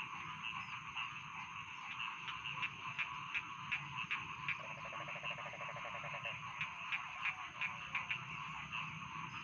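A dense chorus of rice field frogs croaking and clicking rapidly, with a steady high insect hum behind.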